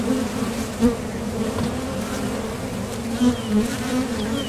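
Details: Buzz of honeybees coming and going at a top bar hive entrance on nectar flights, a continuous low hum with brief swells as individual bees fly past the recorder.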